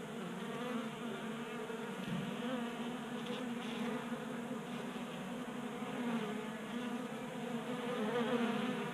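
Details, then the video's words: Honey bees burning winter fat stores during a warm January in Colorado, gathering at a tabletop feeder in a garage; a dense, steady droning buzz of many bees that grows slightly louder toward the end. "Honey Bees Feasting from 3D Printed Bee Feeder"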